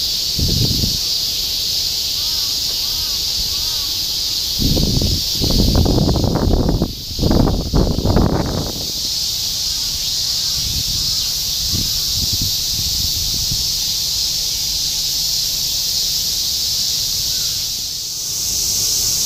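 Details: A steady high cicada chorus fills the summer air of Shinjuku, Tokyo, in 2016, interrupted by bursts of nearby human speech and soft tonal chirps in the background.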